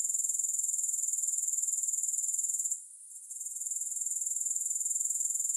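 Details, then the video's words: High, rasping grasshopper buzz with no music, pulsing roughly four times a second, fading out briefly just before the three-second mark and then climbing back to a steady drone. "Grass Hopper Sounds"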